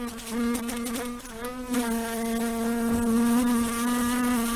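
A fly's steady, droning buzz, a low hum that wavers slightly in pitch as it moves.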